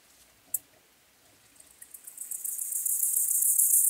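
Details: Song of a white-clubbed grasshopper at Elsbethen, Austria, 18 September 2020: a single tick, then rapid high-pitched scraping pulses swell steadily into a loud, continuous sizzling buzz.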